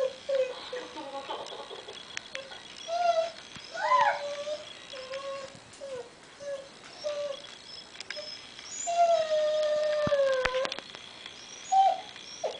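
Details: Diva the family dog, longing for grandson Derek heard over the computer, gives a series of short wavering whines and yelps, then a longer falling howl near the end, with faint voices and clicks behind.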